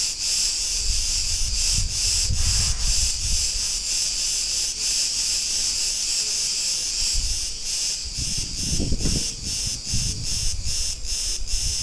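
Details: Cicadas singing in a street in Ierapetra, Crete, Greece: a dense, continuous high buzzing chorus with rhythmic pulsing dips, plus low rumbles of street noise around the third and ninth seconds.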